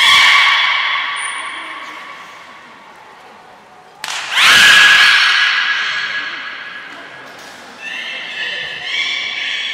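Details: Beluga at Port of Nagoya Public Aquarium, recorded 3 November 2023 during play time after feeding; long harmonic whistled tones with a loud abrupt burst midway, then stepped rising whistles.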